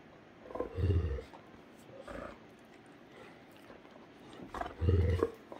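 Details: Heartbreaker and Rhapsody, two Great Danes romping on a Sunday morning. Two deep guttural growls, separated by about four seconds of quieter shuffling, each lasting under a second.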